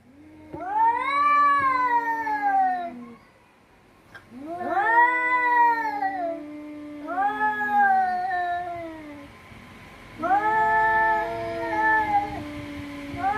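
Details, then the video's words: Cats fighting: long, wailing yowls that rise and then sag in pitch, each lasting two to three seconds, with overlapping voices answering one another and short pauses between. "Cat Fight"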